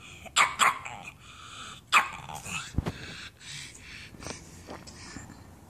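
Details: Pug barking for nachos, begging for food: two sharp, high barks close together near the start and another about a second later, followed by softer grumbles and whines, with a person speaking to the dog.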